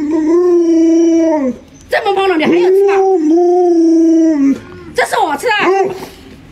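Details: Luoluo the Alaskan Malamute howls at its sleeping owner to get him out of bed late in the morning. A long steady mid-pitched howl with rich overtones, a brief break, a second sustained wavering howl, then short broken yips.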